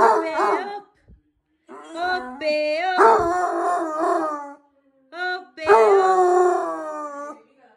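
A basset hound howls in long, wavering tones that rise and slide like singing.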